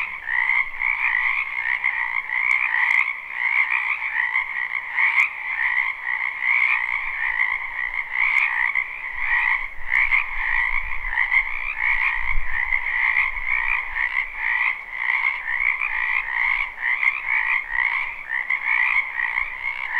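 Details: A spring wetland chorus of many frogs, recorded live without loops. The continuous, rapid trilling stays at two steady pitches and pulses slightly throughout. Scattered clicks and a soft low rumble appear around the middle.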